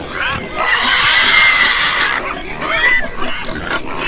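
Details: Farm pigs with one long drawn-out shrill squeal lasting over a second, then shorter squeals and grunts from other animals in the group.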